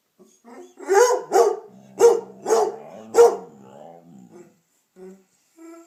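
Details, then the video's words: {'caption': 'Indoors, a pet dog named Damion howls along with Piper, a barking, baying Redbone Coonhound; five strong bays ring out over a sustained low howl, followed by two short, quieter tones.'} "Howling, yawning and talking.........Damion does it all!"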